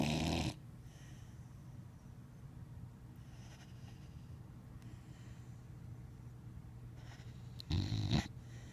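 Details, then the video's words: A sleeping dog, worn out after a weekend, snores: two loud, breathy snorts about seven seconds apart, with a low, steady rumble of breathing between them. "Dog Snoring"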